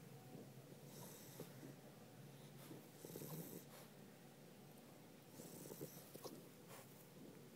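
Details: Pit bulls asleep at home, snoring in soft, breathy rasps that swell into louder noisy bursts about every two to three seconds, with quiet gaps between breaths.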